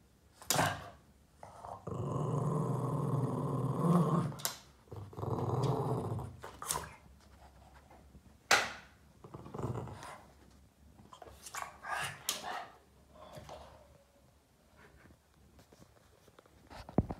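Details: Agitated Boston Terrier Yoda chases wall shadows, giving a long deep rumbling growl that swells and fades over several seconds, then broken grumbles, huffs and scuffling clicks as the chase continues.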